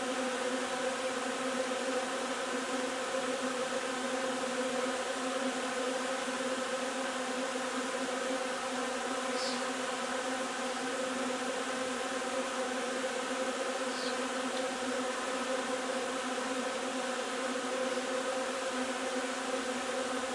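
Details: Honey bee hive foraging on linden nectar on 3 June: a dense, steady drone with stacked humming tones, unbroken throughout, with a couple of faint brief high ticks midway.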